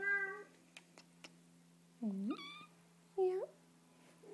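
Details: Young Bengal kitten sitting in a person's lap while being petted, giving two short rising-falling meows about a second apart after a brief higher cry; soft clicks and a steady low hum in the background.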